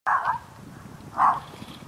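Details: A Dalmatian gives two sharp, mid-pitched barks about a second apart, out in the fields on a long leash; he is said to hear another dog.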